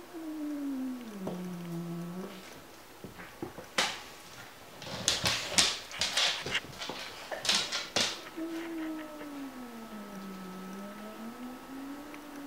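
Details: Oriental Shorthair cat attacking a Rottweiler: drawn-out wavering yowls at start and end frame a burst of harsh, noisy hisses and spits in the middle, with dog scuffling and a man's voice.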